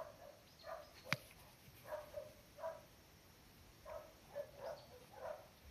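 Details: Cardigan Welsh Corgi puppies, Rupu's litter, in a garden on 16 October 2020, far livelier than a week earlier; about eight short, mid-pitched yips come in uneven bursts over six seconds, with one sharp click near the start.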